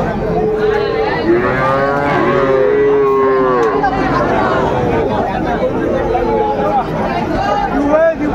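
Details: At Raniganj market in Dinajpur on 12 July 2024, Friesian and crossbred heifer calves give several overlapping drawn-out lowing calls, some rising then falling, spread across eight seconds over dense chatter of buyers and sellers.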